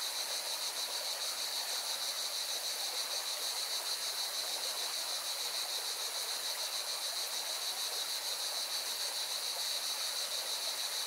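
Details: Steady shrill buzzing of singing cicadas by a mountain river in Valencia, Spain, a high pulsing drone that never pauses, accompanied by the constant hissing flow of the river.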